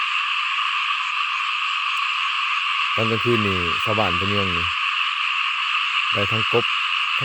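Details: Small frogs calling loudly in a rice field. A long run of throaty, rasping croaks lasts about two seconds, then a short triple burst follows, all over a continuous shrill background chorus.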